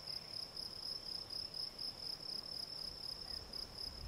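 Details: Gryllus campestris field cricket chirping in a regular pulsed rhythm, each high-pitched chirp clearly separated, about two per second, with soft low background noise.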